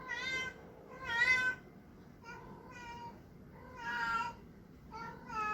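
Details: Domestic cat making funny sounds: six clear, harmonic meows in under six seconds, some brief chirps and others drawn out and wavering, loudness rising and falling between calls, over a faint low-pitched room hum.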